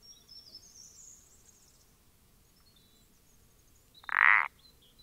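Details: Common parsley frog (Pelodytes punctatus), dated 14-04-20: a single loud, short creaky croak late in the recording, preceded by faint high twittering of small birds in the background.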